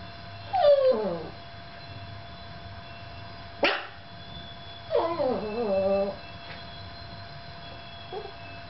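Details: Yorkshire Terrier alone with a camera, giving drawn-out falling whines with wavering tone, one abrupt sharp yelp between them, then a longer quavering whimper and a final faint squeak, over a low steady hum.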